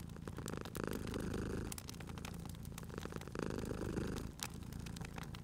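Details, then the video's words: Purring domestic cat dozing at a crackling fireplace; a thick, low rumble comes in two long breath cycles, each swelling then easing, with scattered snaps and crackles of the fire. "Cute Purring Cat at a Crackling Fireplace"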